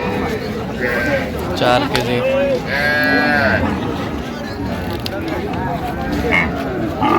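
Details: Cows with calves at the Raniganj cattle market in Dinajpur on 27 November 2025. One drawn-out, harmonic moo stands out near the middle of the clip amid steady crowd chatter and men bargaining over prices.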